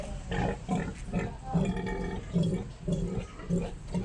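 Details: Lame sow with a wounded foot and cracked hoof, mother of seven litters, grunting in short, low, rough bursts repeated roughly every half second, steady and rhythmic throughout.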